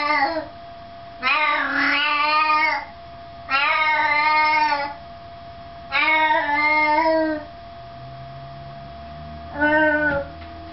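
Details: Scooter, a tabby cat, scolds Ash the Siamese indoors in a friendly fight: four loud wavering yowls, each roughly a second or more, rising and falling, separated by quiet gaps, with faint low rumbling in between.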